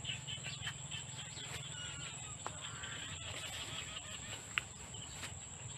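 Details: Insects in the countryside keep up a steady, high, thin drone that never lets up, with faint low rumble and scattered clicks in the background.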